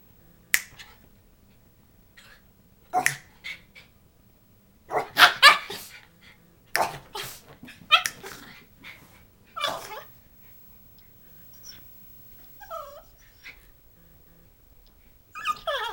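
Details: Schipperke dog confronting a buzzing "monster": short, sharp, scattered yaps and snapping bursts in irregular clusters with gaps of silence, a few thin whining notes near the end.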